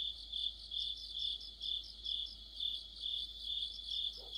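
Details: High, even cricket trilling from an autumn insect orchestra near a street light, pulsing chirps rising and falling about twice each second over a constant shrill tone.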